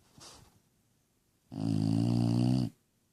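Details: Lola the bulldog, sleepy and asleep, gives one loud, rasping, deep snore lasting about a second, preceded by a brief faint breathy sound.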